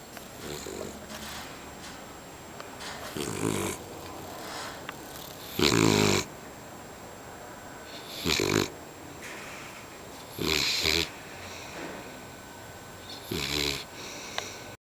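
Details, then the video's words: Sleeping beagle snoring indoors: loud rasping snores in bursts roughly every two to three seconds, each about half a second long, with quieter breathing between them. "beagle roncando"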